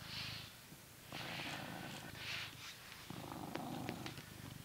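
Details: Low rumbling purr from Coconut, a blue British Shorthair cat living in England, as it is brushed; broad swishing brush strokes come in bursts over the purr, with a brief dip before the purr resumes.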